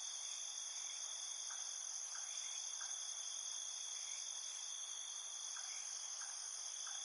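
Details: Nighttime insects in a steady, dense chorus of continuous high shrill trilling on several stacked pitches. Faint short clicks and chirps occur every half second or so underneath. No music.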